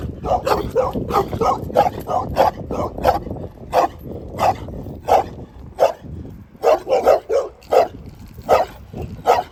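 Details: Dog barking rapidly at first, barks crowding together, then slowing to evenly spaced sharp barks about every second, low background rumble throughout.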